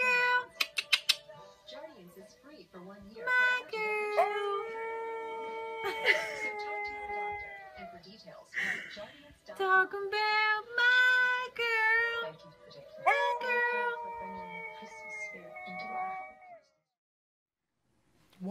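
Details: Pet husky singing and talking: long, steady, held tones broken up with shorter wobbling notes and a few sharp yips, while music plays and a person talks in the background.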